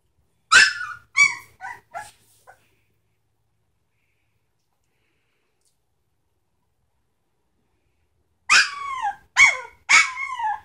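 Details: Sitka x Izzi Samoyed pups at three weeks give sharp, high yips in quick clusters of three or four, a long silent gap between the two bursts.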